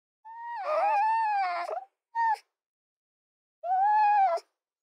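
A fox gives drawn-out, whining calls, each a steady tonal wail with a short yelp between.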